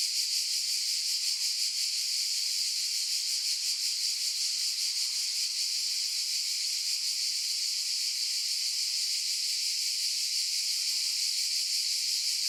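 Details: Cicadas in a dense, continuous high buzzing chorus, strongest in a bright band with finer hiss above, pulsing faintly about three times a second; no low sounds, steady loudness throughout.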